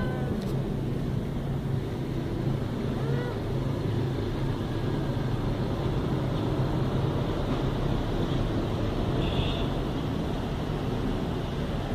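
A steady low rumble of engine or vehicle noise, with faint voices and no animal calls.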